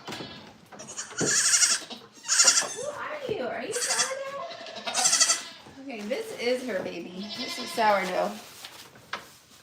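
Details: Goat bleats at The Willful Goat Farm & Home: several loud, wavering, nasal cries with rough, buzzy upper tones arrive in short bursts, mixed with people talking close by throughout.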